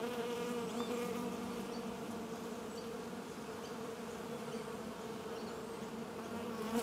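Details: Bees produce a steady, dense droning hum with a low tone and its overtone, holding unbroken throughout, while faint, thin high chirps flicker in the background.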